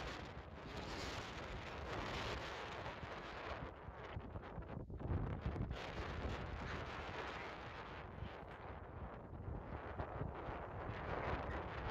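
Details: Wind noise dominates, with broadband rumble and rustling, and no animal voice stands out.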